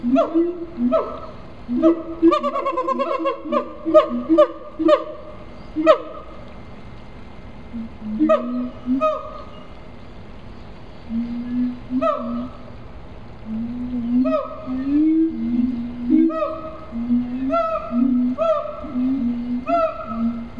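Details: Captive siamangs at Riverbanks Zoo, Columbia, South Carolina, giving loud tonal calls in bursts. Hooting notes with rising and falling glides and rich overtones come in rapid runs, with short pauses between series.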